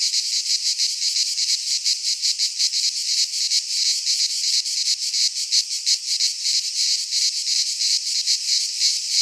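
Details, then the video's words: Midsummer cicadas in a Greek pine forest keep up a continuous, piercing buzz, rapidly throbbing about three times each second, steady in loudness throughout, with nothing else audible. "Cicadas singing in midsummer - Nature sounds from the Greek fauna - Sounds of cicadas"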